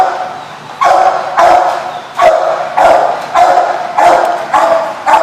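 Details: Dog barking repeatedly at The Barking Lot on 7/3/15: six loud, short, sharp barks spaced roughly every half to one second, each with a brief echo, over a steady low background hum.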